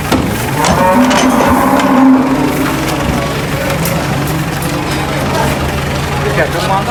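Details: At a market, a cow is unloaded from a truck. One low, flat moo of about a second rises above constant crowd noise and rumbling, with scattered knocks and voices.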